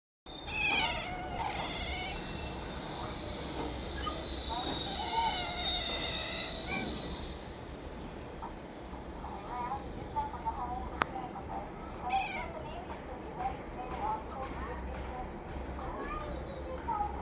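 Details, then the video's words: Domestic cat making drawn-out, wavering, strongly harmonic yowls through the first seven seconds, then shorter rising-falling cries near twelve seconds and at the end, over a steady low background hum with faint voices. "मन्या असा का आवाज काढतोय"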